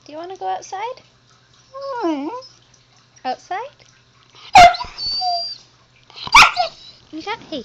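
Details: Talkative husky puppy Zoey answers her owner with a string of rising-falling whiny moans and woo-woo sounds, two sharp loud yelps around the middle, and a thin high whine after the first.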